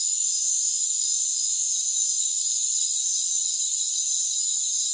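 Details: Many crickets trilling together in a rainforest, a constant piercing high drone of stacked tones that rises a little in loudness past the three-second mark.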